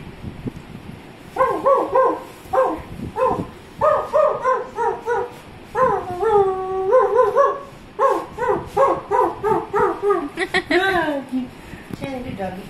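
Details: A male dog, playing and excited on hearing a recording of his own barking, gives rapid, high, tonal barks and yelps, broken by a drawn-out wavering whine.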